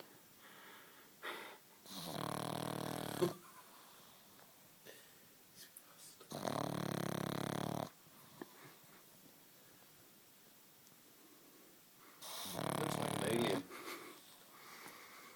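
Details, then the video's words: Alfie, a nine-month-old Pug, lies fast asleep on the sofa, snoring in three long, raspy, wheezing bursts spaced about four to five seconds apart, with quiet breathing between them. "Snoring Pug"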